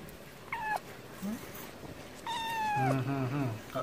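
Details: A stray cat meows for wet food. A brief high meow is followed by a long, strained cry that drops in pitch and ends in a rough, throaty tail.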